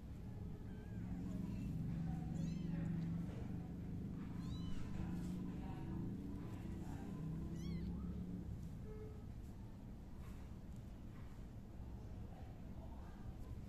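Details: Tiny tiger-striped kitten mewing: short, high, thin meows with rising-falling harmonics, about three spaced across several seconds, over a steady low background rumble.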